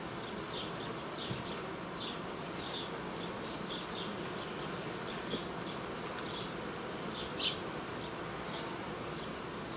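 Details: Apiary honey bees, recorded while old queens are replaced and young colonies formed, give an even, continuous hum; short sharp high chirps recur every second or so above it.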